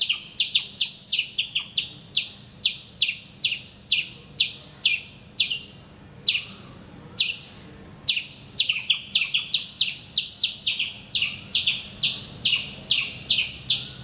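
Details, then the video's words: Loud squirrel on a mango tree in Calicut, Kerala, India, heard every morning: shrill high chipping delivered in uneven clusters, sometimes rapid, sometimes spaced, with a couple of short silences. "Nature's alarm clock - my squirrel friend"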